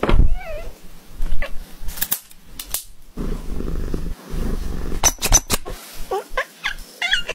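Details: Persian cat having its nails cut, giving a short wavering meow at the start, then sharp clicking snips from the clippers, low handling rumbles and a few brief squeaky cries near the end.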